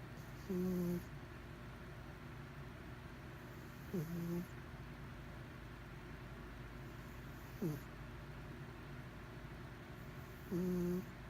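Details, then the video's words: Domestic cat named Mr Whiskers snoring, waking up while being filmed; four short, loud, nasal low-pitched snores with a buzzy tone, spaced about three seconds apart, over a steady low background hum. "Snoring Cat"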